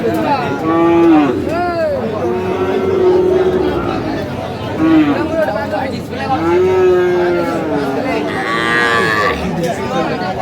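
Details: Sahiwal bull at a Saturday cattle market in Aftabganj, with a Comilla farmer buying, 10/5/25; several drawn-out moos that rise and fall, repeated every two to three seconds, over men bargaining and market noise.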